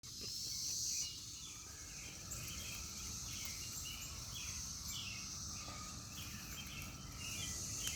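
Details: Cicadas buzzing in a steady, high, shimmering drone that runs unbroken through the whole stretch, while several birds chirp and twitter in short bursts underneath.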